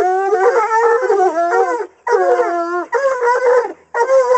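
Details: Coonhounds baying at a caged raccoon during hunt training: loud, wavering, horn-like howls, the first nearly two seconds long, followed by three shorter bawls separated by brief pauses.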